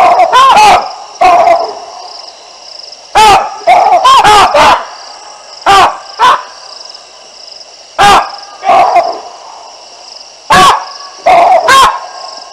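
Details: Baboons at the Olifants River in Africa, filmed by a live camera on 9 December 2022, calling out as two lionesses pass beneath their trees: loud, harsh barks in bursts, often paired, with a steady high-pitched drone in the background.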